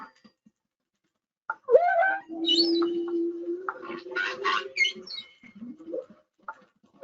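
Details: A male humpback whale (Megaptera novaeangliae), recorded by hydrophone near a boat off Hawaii's Big Island in 2019, sings theme one of his song: a low, drawn-out moan framed by swooping upsweeps and bright harmonic cries.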